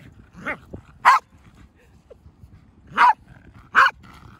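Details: Pembroke Welsh Corgi pet, happy at being countered in play, lets out three sharp, clipped barks spaced a second or more apart, with a few soft whimpers and low room noise between them.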